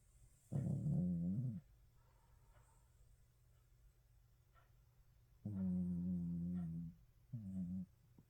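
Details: A Shih Tzu snoring indoors: three low, harmonic, droning snores, each about one to one and a half seconds long with gaps of several seconds, the last one shorter, over faint background hiss.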